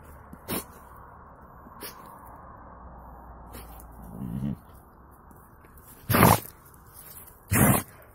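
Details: Mixed-breed Siberian guard dog named Buran, snow in his nose, letting out two abrupt breathy sneezes near the end, about a second and a half apart, after a soft low snort and faint clicks over a quiet background.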